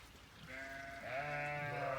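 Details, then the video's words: Sheep on a homestead calling loudly for grain in the morning: a soft call early on, then a louder wavering bleat rising from midway and holding to the end. "But it sounds like I'm not gonna get away without giving the sheep some grain either. They are sure bellering."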